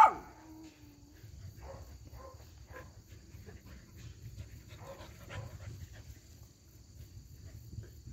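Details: A Cardigan Welsh Corgi, filmed 4 November 2022, gives short, scattered yipping barks while crowding and licking a person's face and hands.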